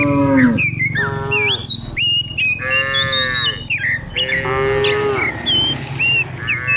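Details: Many cows herded downhill in the morning through open countryside; repeated medium-length moos from several animals, with a low rumbling background and scattered bird chirps.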